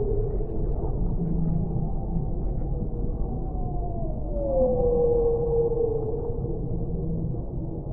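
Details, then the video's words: Whale song: a smooth tonal moan sliding downward and levelling off midway, set over a constant deep underwater rumble and wash of low noise. "Whale Sounds"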